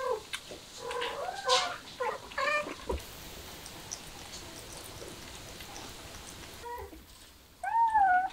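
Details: Street cats, a mother with her kittens: a few short wavering meows early on, then a quiet stretch, and a clearer rising-and-falling meow near the end, with soft rustling and clicking noises in the background.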